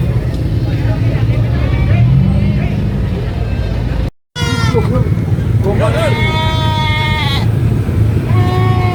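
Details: Baby goat screaming on a farm: after a steady low engine-like rumble and a short silence, wavering, strained bleats come in and stretch out over about two seconds.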